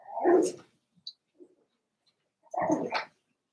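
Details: Two hoarse little barks, about two seconds apart, from Daisy's four-week-old Cavalier King Charles Spaniel puppies in their pen, with faint squeaks in the gap between.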